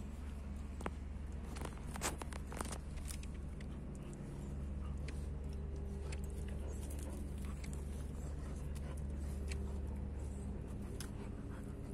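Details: A steady low engine hum runs throughout, with scattered taps and clicks on top and no clear animal voice.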